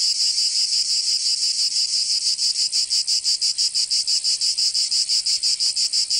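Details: Provençal cicadas in summer, southern France. A continuous high, grating buzz starts smooth, then breaks into regular throbbing pulses roughly three per second for the rest of the clip.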